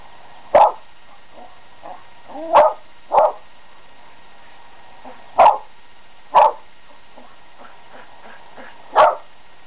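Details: Selma, a pet dog, barks manically at a squirrel stuck on the house next door. Six abrupt barks are spread unevenly across ten seconds, with faint softer yips between them and a constant electrical-sounding hum underneath.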